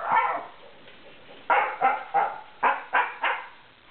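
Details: A male Siberian Husky puppy rolling around on the floor gives a run of short, yappy, woo-like vocal bursts, a habit he often shows, even while sleeping.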